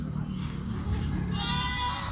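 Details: Sirohi goat at Pooja Goat Farm in Pushkar, Ajmer district, Rajasthan; a wavering, nasal bleat enters in the second half over a steady low rumble with voices in the background.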